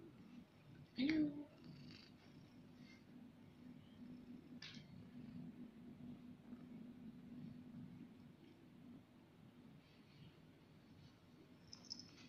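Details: Snowy, a pet cat, sniffs her owner's towel, a smell she loves. A short, soft mew near the start gives way to a low, steady purring hum through a quiet indoor room, with a few faint clicks.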